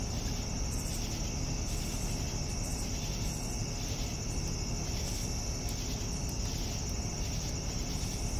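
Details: A cricket chorus at evening: high, unbroken trilling with rhythmic pulsed chirps less than a second apart, and steady low-frequency rumble beneath.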